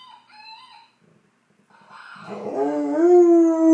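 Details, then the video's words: A 10-month-old fox red Labrador Retriever puppy answers a toy that makes animal sounds. A short, higher tonal toy call comes first, then a pause. The puppy's howl then begins rough and rises into a loud, sustained, clear tone. "Dexter howling at this toy that makes sounds"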